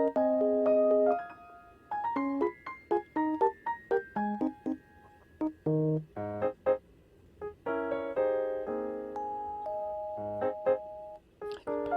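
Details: Light, bouncy piano melody played in short, plucked phrases throughout, with no animal cries heard.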